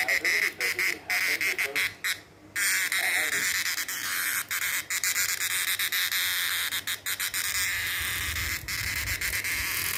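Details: Male cicada singing: a loud, unbroken harsh buzz fills the upper range for the whole stretch, cut by brief dropouts and sharp clicks, with a thin whistled tone in the first two seconds.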